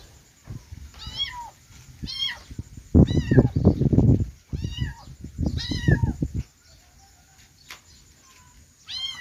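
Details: Repeated high kitten meows, roughly eight in all, each short and falling in pitch, some overlapping; a burst of low rumbling, handling-like noise fills the middle, then quiet with a final meow.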